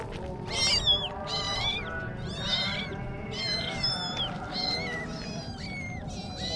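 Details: Kittens meowing: a rapid run of high, thin, arched meows, often overlapping, nearly continuous across the stretch, over a steady low hum in the background.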